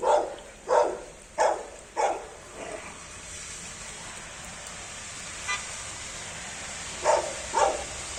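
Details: Labrador Retrievers playing on a rainy day; a run of four short, tonal barks about two-thirds of a second apart, a pause, then three more barks near the end.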